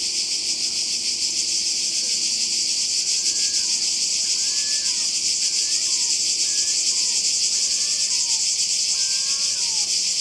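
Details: Cicadas by the sea in Croatia, summer 2020, make a loud continuous high buzz with rapid pulsing; a series of short chirping notes repeats every second or so in the background.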